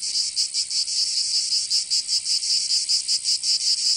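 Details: Summer cicada chorus from Provence in the south of France, a shrill high-pitched buzz swelling and fading in quick, slightly uneven pulses, roughly two or three per second, nothing else audible.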